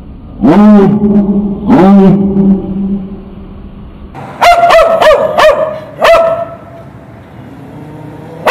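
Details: Dog left tied to a street fence by its owner, who went to a store, barking while it waits. Two deep, drawn-out barks are followed by a quick run of five sharper, higher barks, then quiet.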